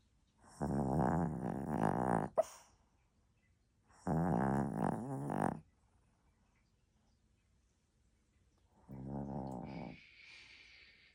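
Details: Chihuahua puppy asleep and snoring indoors: three long rasping snores with strong low harmonics, each lasting one to two seconds and spaced a few seconds apart, the last one ending in a brief higher hiss.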